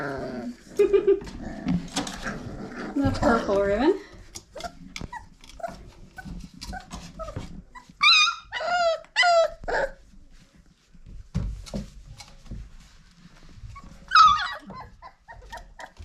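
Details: Old Family Red Nose Pit Bull puppies at five weeks old, from parents Abby and Ragnar, let out a quick run of high, arched yelps in mid-recording and a lone squeal near the end, with a person talking and indoor noise around them.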